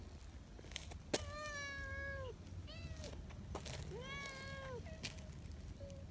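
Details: Affectionate community cats at a mountain gathering, meowing repeatedly: a long drawn-out meow, then shorter ones and a couple of brief chirps, with taps, rustles and a low hum behind.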